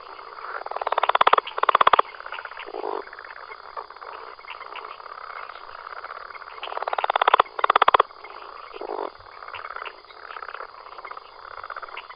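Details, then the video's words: A frog living in Costa Rica calls in a series of raspy, pulsed notes that speed into a buzzing trill, then fall quieter. The pattern repeats after about six seconds, with soft chatter from other frogs between bouts. "¿CÓMO CANTAN algunos anuros que viven en Costa Rica?"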